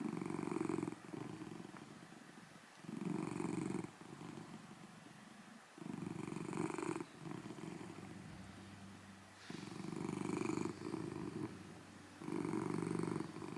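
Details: A huge golden tabby Scottish Fold cat purrs loudly in steady rumbling bursts that shift from snore-like breaths into purring; recorded 09.06.2024.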